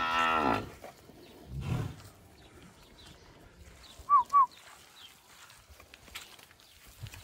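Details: Purebred Guzerá cattle, a zebu breed, on a farm in Mari, Paraíba, Brazil; a single short, harmonic moo opens, followed by a lower grunt, two quick high chirps and quiet farm background.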